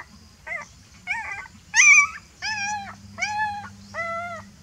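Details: Puppy, afraid and calling its mother, starts with short soft whimpers, then a sharp high yelp, followed by three steady arched whines of even pitch, repeated about every second, with a low electrical hum.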